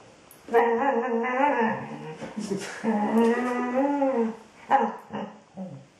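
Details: Female Border Collie at home 'singing' to her ball: long wavering yodel-like moans that rise and fall in pitch, one sustained note stretching nearly two seconds, ending in short yelps.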